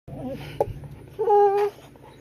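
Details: Pet dog Broley whining indoors, annoyed and yelling at his owner in dog talk: a few short low whimpers, then a loud, sustained tonal whine held for about half a second before fading.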